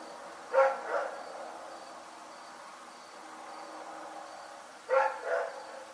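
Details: Two quick double barks from Rex, a dog barking in the night, about four seconds apart over a faint background hum.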